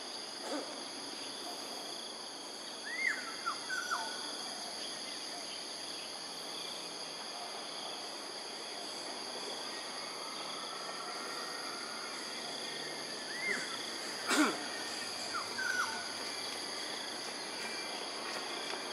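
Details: Otters in Singapore at 7:08 in the morning on 2 August 2020. Short arched chirps rise and fall, some in quick pairs, in two bursts about ten seconds apart. A steady high-pitched insect chorus drones throughout.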